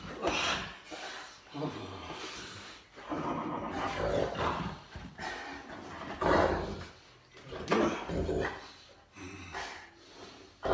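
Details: Molly, a huge Boerboel, wrestling in play indoors: rough throaty growls and grumbling roars come in bursts over about ten seconds, while people talk over and between them in a small room.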